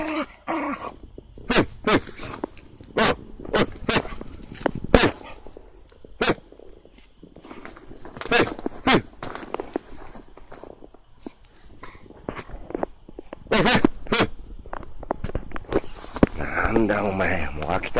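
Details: A Hokkaido (Ainu) dog, worked into excitement with a heat-up command during toy play, barks in sharp, punchy bursts, some in quick doubles, through the whole stretch.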